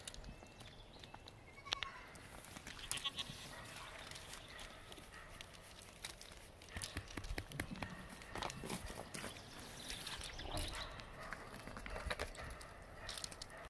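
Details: Nigerian Dwarf goat kids romping about with their mothers and other goats; faint, wavering bleats come in the first few seconds, followed by scattered knocks and rustling from the playing animals.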